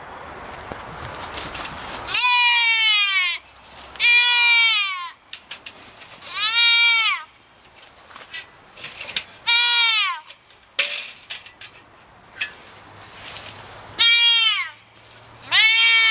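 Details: White-tailed deer fawn caught in a gated community fence in Michigan, screaming loudly for its mother: six harsh, harmonic, bleating screams of about a second each, spaced two to four seconds apart, over a steady high insect-like hum.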